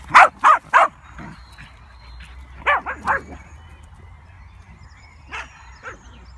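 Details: Komondor dogs barking to urge another dog back up out of a ditch where she tried to hide; short loud barks in pairs and triplets, then a quieter pair after a pause, with faint background hum.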